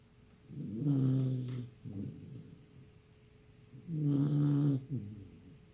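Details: A Bull Terrier puppy, worn out after endless play and napping, snores with deep, rumbling breaths, each followed by a shorter snort.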